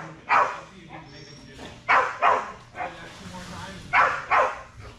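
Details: Belgian Malinois Strider barking during dock diving Air Retrieve practice on 10.25.22, with paired, punchy barks spaced about two seconds apart and a murmur of speech underneath.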